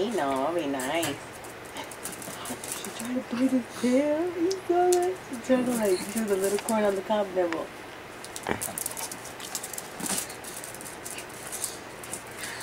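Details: Indoor meeting between Foxy, a Miniature Pinscher, and Bella the rabbit: a drawn-out wavering whine, pitch sliding up and down over several seconds, then fading into clicks, handling noise and a person talking.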